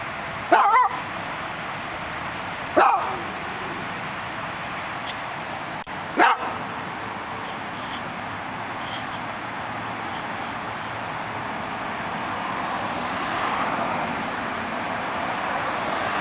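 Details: Dachshund looking out through a gate in Los Angeles gives three sharp, short barks spaced a few seconds apart in the first six seconds, then falls quiet against a steady wash of city traffic hum.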